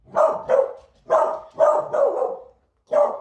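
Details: Beagle barking indoors on Halloween, disliking strangers and the doorbell; six sharp mid-pitched barks in a burst over three seconds, the first pair quick, then three close together after a pause, and one more after a short gap.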